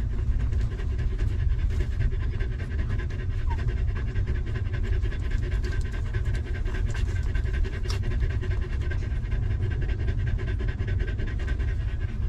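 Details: Stray mother dog living rough with her newborn litter of puppies, given shelter and food; fast, steady breathy panting runs unbroken through the whole stretch over a dense low rumbling background.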